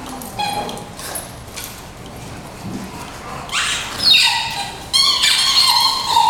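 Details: Playful pup wrestling between two dogs: quiet scuffling at first, then a run of high, strained whines and yelping cries with rising and falling pitch, growing louder toward the end.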